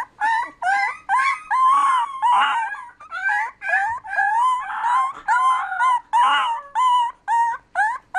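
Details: Beagle giving a run of loud, ringing bay notes, about two per second, each a short wavering yelp sliding down in pitch, some rising and breaking into longer quavering howls, with brief gaps between calls.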